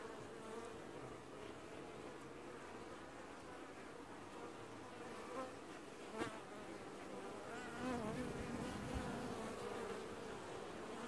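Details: Honey bee colony washboarding at the hive in an apiary in early July 2019: a dense, steady buzzing hum from many bees, with a brief sharp tick near the middle and a slightly louder swell toward the end.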